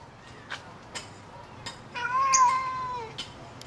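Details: Lynx hybrid cat, father and son out walking in a yard; a drawn-out, steady mewing call about a second long rises out of quiet background, preceded and followed by soft clicks and faint rustles.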